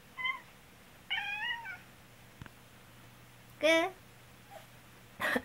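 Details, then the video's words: Indoors, a black pet cat cries at its coughing, cold-stricken owner. Short meows come at irregular intervals, including one wavering, quavering mew, with a quiet human voice and a faint click between them. "咳をするとどうしても気になる猫（The cat which cries when I cough）"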